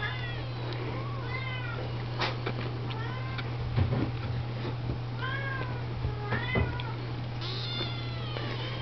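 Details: Siamese, Oriental and Snowshoe kittens indoors, washed and fed by mother cats; many thin arched mews overlap, rising then falling, several a second, over a steady low electrical hum with soft rustling.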